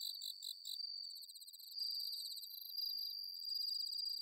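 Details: Bell cricket singing on an autumn night in the rice paddies of Inba-numa, Chiba, Japan, recorded with a Zoom H6: high, clipped pulsed chirps give way to a steady, shimmering high ring that continues with several overlapping insect voices.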